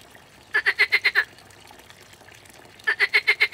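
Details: A water frog at a pond gives two bursts of rapid, pulsed croaks, each about six notes long.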